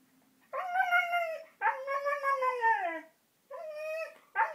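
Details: Diego, a 15-month-old Siberian Husky, talks excitedly while wanting to go out on a walk: three long, drawn-out, wavering howl-like vocalisations. The second bends downward at its end.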